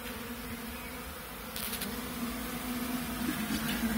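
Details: Western honey bees left behind in a nucleus box (a five-frame mini hive used to transfer a new queen) hum with a steady, low drone that swells slightly louder toward the end.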